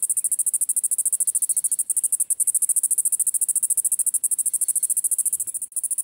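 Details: Big nose grass cicada calling: very high, hissing buzz pulsed in fast, steady beats, about three or four per second, continuing throughout with little else heard.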